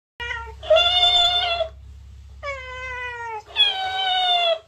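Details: Cat reacting to another of its kind: three loud, drawn-out harmonic meows about a second long each, the middle one sliding downward, in a quiet room with a faint low hum.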